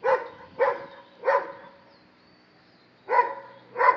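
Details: Barking at a monkey, a Dobermann gives three loud, rough barks, falls silent for over a second, then gives two more.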